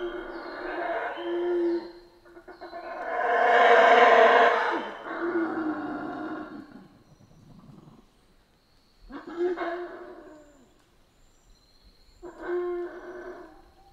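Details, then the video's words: Howler monkeys in Central American rainforest give deep, harsh roaring howls in bursts; the longest swells loudest mid-clip, with shorter howls following after pauses and a faint steady high hum in the background. "Rainforest Howler Monkeys Sounds"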